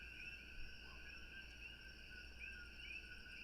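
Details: Distant coqui frogs give short rising chirps over a steady, ringing night chorus, heard from a porch in Hawaii.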